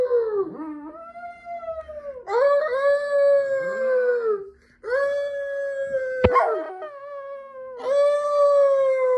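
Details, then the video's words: Several Chihuahuas howl together in overlapping, wavering wails that dip and rise. A single sharp click or knock cuts through midway. "Chihuahua dogs barking and hauling"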